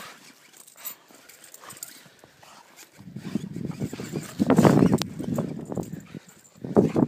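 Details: Rottweiler named Troll playing outdoors in snow, giving low growly grunts that swell in a loud burst near the middle and again at the end, among rustling and crunching of snow.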